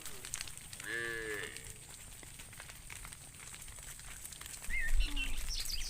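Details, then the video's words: Cow roaming in the fields, calling to a companion: one short, deep moo with a slight upward bend, followed by quiet outdoor background and a few faint high chirps near the end. "Funny cow sounds Calling his friend, Cows roaming in the fields"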